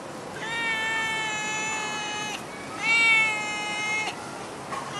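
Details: Two long, loud, level meows from a stray cat in Singapore, each lasting over a second and rich in harmonics, separated by a brief gap, against light background noise.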